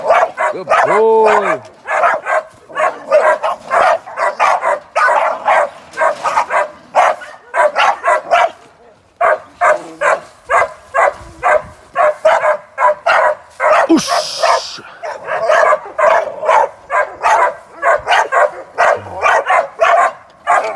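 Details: Sporting American Staffordshire Terrier, young and in training for ADBA shows, keeps up a long, steady stream of rapid, sharp barks, opening with a rising whine and pausing briefly midway.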